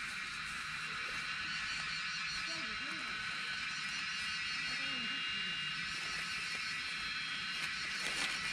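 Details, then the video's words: Cicadas in Nepal's Himalayan foothills during mushroom foraging, a steady dense buzzing drone filling the high range without pause, with faint low voices talking underneath. "Song of Cicadas"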